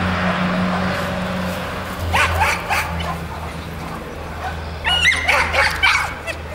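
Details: Manchester terrier Stig, registered as Rockstyle's Northern Speed, at an agility competition; two bursts of sharp, clipped barks, one around the middle and one near the end, over a steady low hum and arena murmur.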